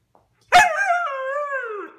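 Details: Siberian Husky indoors, 'talking' back while scolded over a chewed couch and shed hair; one long drawn-out, wavering, moaning vocal, dipping slightly then holding steady, after a faint click, with a woman's speech around it.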